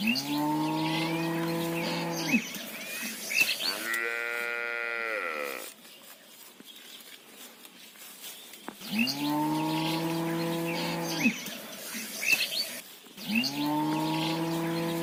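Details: A mother cow calling for her calf gives long, deep, droning moos, with one higher, wavering call in between.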